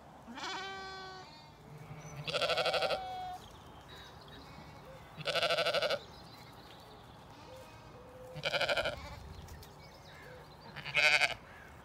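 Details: Flock of Zwartbles sheep, ewes with lambs, eating breakfast on a cold misty spring morning on a County Kilkenny farm in Ireland: five loud bleats at roughly three-second intervals, some quavering and harmonic-rich, over a low steady hum.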